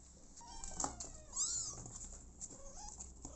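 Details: Abandoned kitten giving two or three drawn-out, wavering meows, one sliding upward then down, amid clicks and soft rustling indoors.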